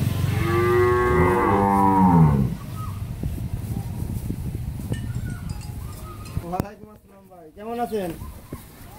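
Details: Pregnant Friesian cow on a dairy farm in Pabna, Bangladesh, due to calve within a week with her first calf, about nine months twenty days pregnant, four teeth; one loud, deep, harmonic moo of about two seconds, followed by quieter animal calls and voices.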